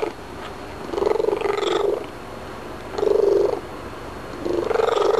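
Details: Domestic cat chatting after eating a few treats: a purr underlies short trilled, chirping vocal bursts of about a second, three bursts in quick succession, close indoors.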